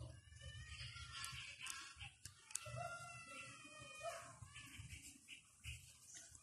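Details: Five-week-old Japanese Spitz puppies at play time: high, thin whimpering squeals and short yelps, several overlapping in quick succession, some drawn out and wavering, with soft knocks and thumps between them indoors.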